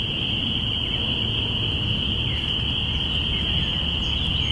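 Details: Binaural recording of spring peepers on April 5, 2017, early spring: many callers blend into a continuous high-pitched ringing drone, with faint sliding peeps and a deep rumble of background noise beneath.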